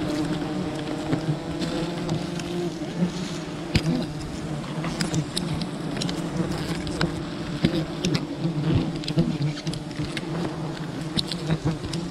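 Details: Dense swarm buzzing from a wild bee colony during honey hunting, a loud, rich low hum with stacked overtones that swells and fades, peppered with frequent crackling and snapping sounds.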